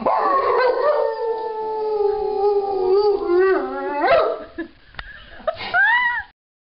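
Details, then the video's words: Rottweiler joining its owners in a howl, a habit he picked up over the last year. A long wavering howl slowly descends, then ends in short rising yelps before falling silent. "Oz the Rottweiler singing you all a song"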